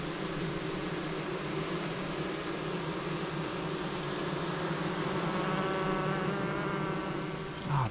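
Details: Nurse honey bees crowding a queenless 5-frame cell-builder box set up for spring queen rearing, settling down. A continuous low buzzing drone with stacked tones, plus a brief higher wavering buzz near the end and faint handling noise.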